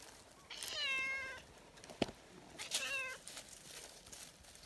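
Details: Tortoiseshell community cat meowing eagerly while being petted, happy and affectionate, kneading; two drawn-out, harmonic meows about two seconds apart, the first longer and steady, the second shorter and falling, with a sharp click between.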